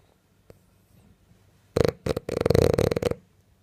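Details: A French bulldog snoring in its sleep while dreaming: short snorting bursts break out after a quiet pause, then run into a rough, fluttering snore of about a second before it fades.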